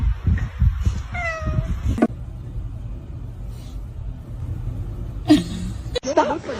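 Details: Kitten meowing indoors: one clear, drawn-out, falling meow near the middle, with people talking and music around it and a sharp thump at the end.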